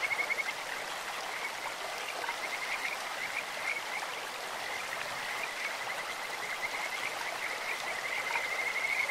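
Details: Kajika frog in a stream: a faint, steady high trill runs beneath continuous broadband water noise, with slight pulsing bursts near the start and again toward the end.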